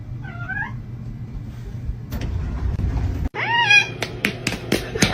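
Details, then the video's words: Domestic kitten meowing indoors: a soft rising-falling meow near the start, then a louder arched meow after a short gap, with clattering, clicks and people talking around it. "kitten meowing call"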